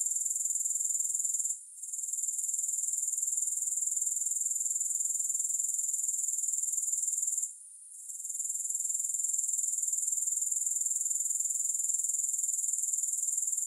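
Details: Grasshoppers in a continuous, shrill, high-pitched trill pulsing about four times per second, with two brief dips near two and eight seconds where the sound fades before returning; no music or other sounds.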